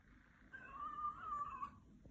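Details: Pet cat named Shadow greeting its owner arriving home, a drawn-out tonal meow with a slightly rising then level, wavering pitch lasting about a second, indoors in a small room with a person saying hello.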